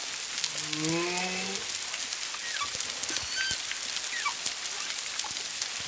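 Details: Off Culebra, Puerto Rico, on February 25, 2022, humpback whales at least two, one to two miles distant: an opening low harmonic moan with a bending overtone stack, then faint short chirps and sweeps within steady crackling noise.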